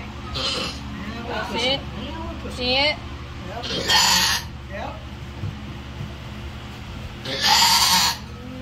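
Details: Darleen, a mother goat giving birth to triplets, gives short wavering, quavering bleats near the start, mixed with a person talking quietly and two loud bursts of rustling noise.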